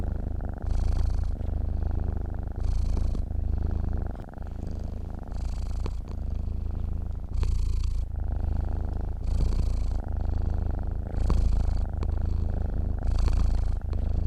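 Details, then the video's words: Low vibrating purr of a cat asleep, unbroken throughout, with about eight rhythmic breathy surges, one roughly every two seconds, riding on the constant rumble. "KUCING TIDUR MENDENGKUR"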